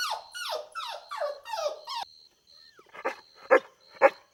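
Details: Golden Retriever puppies at play on a green lawn: five quick falling yelping barks in a row, a pause, then three lower, harsher barks, with a steady faint high tone in the background.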